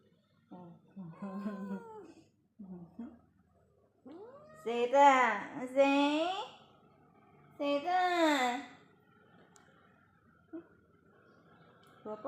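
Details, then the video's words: Indoors, a munchkin cat meows among a woman's speech: several drawn, wavering meows, two loud ones in the middle sliding downward, with quieter talking around them. "so cute meow voice"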